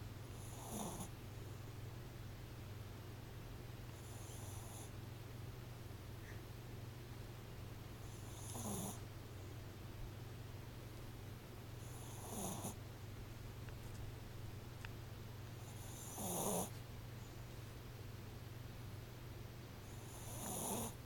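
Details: Sleeping puppy snoring, soft breathy snorts recurring roughly every four seconds over a steady low hum.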